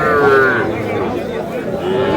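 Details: Sahiwal bull calves at a cattle market in Kurigram, Bangladesh, on 3 March: a short lowing moo at the start and another at the end, against steady crowd murmur and bargaining voices.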